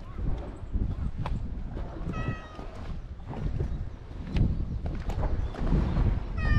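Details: Island stray cat filmed on a GoPro HERO8, giving two short meows several seconds apart, partly buried under loud, constant low-pitched rumble and rustling.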